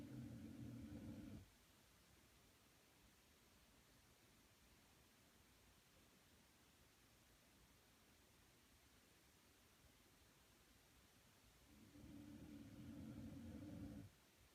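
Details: Sleeping pet dog named Punchi snoring: two low, rumbling snore breaths, one at the start lasting over a second and another about ten seconds later, with only faint steady hiss in between.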